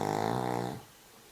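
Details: Cavalier King Charles Spaniel asleep during the drive home, giving a single harmonic, rattling snore that lasts under a second and then fades into steady low car-interior hum.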